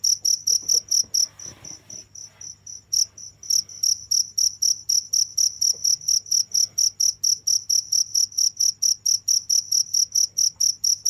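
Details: Nonstop cricket sound, shrill regular chirps around twice per second, softer in one early stretch with a little rustling, then loud and steady again.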